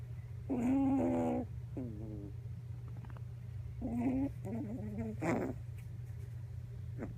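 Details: Sleeping Miniature Pinscher puppy on a lap, face buried and nose pressed, making odd sleep sounds: a long nasal moan, then short stuttering whimpers and grunts of varied pitch, over a constant low hum.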